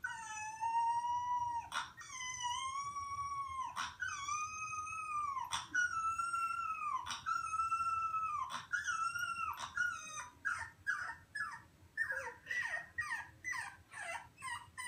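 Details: A 3-week-old Boxer puppy howls for the first time, giving thin, high, wavering howls, then breaks into quick yips.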